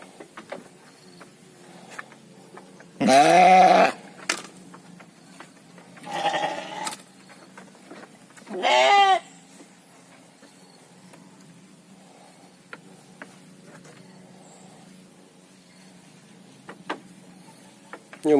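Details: Farmed sheep, kept for quick three-month fattening in Indonesia, bleating three times: loud wavering bleats near 3 s, 6 s and 8.5 s, the first and last strongest, with quiet rustling and scattered clicks between.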